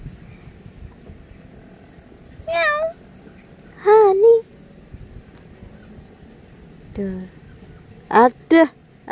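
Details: Pet cat named Honey giving several wavering, drawn-out meows, two close together early on and a pair of short rising calls near the end, with a person talking quietly in a small room.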